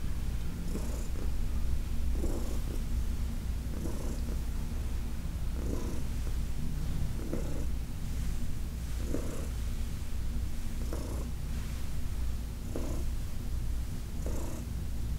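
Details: Heidi, an elderly cat adopted from the Humane Society of New York City, purrs under massage on August 4, 2021: a deep, unbroken drone with each breath cycle audible as a soft surge roughly every one and a half seconds.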